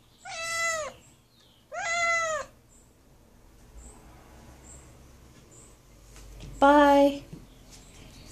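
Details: Tucker, a noisy kitten shut inside a small bathroom, meows to be let out: two loud, drawn-out, downward-bending meows in quick succession, a quiet pause with faint room noise, then a third sharper, louder meow.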